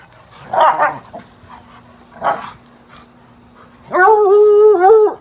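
A Bluetick Coonhound gives two short, rough barks, then a long, drawn-out baying howl.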